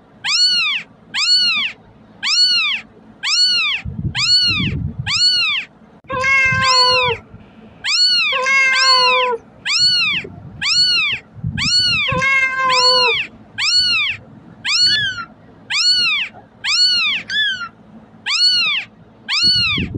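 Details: Kitten crying, played to call cats over: high arched meows repeated about once a second, with a few lower, wavering, drawn-out cries midway and faint low thumps in the background.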